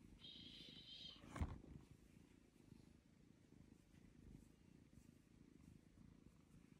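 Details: Domestic cat purring indoors: a steady, low, rumbling pulse continuing throughout, with a brief high tonal sound and a sharp knock near the start.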